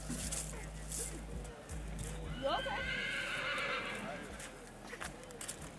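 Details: Bay Tennessee Walking Horse cross, ridden by a girl at an annual trail ride in Oklahoma in 2021, gives a single wavering, harmonic-rich whinny of about a second midway through, with people talking and hoof and rustling noise throughout.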